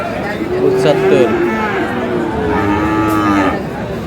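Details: Friesian and crossbred bull calves at Aftabganj livestock market in Dinajpur, Bangladesh, on 22 July: two drawn-out, tonal moos, the second lower and longer, over steady crowd murmur and men haggling over prices.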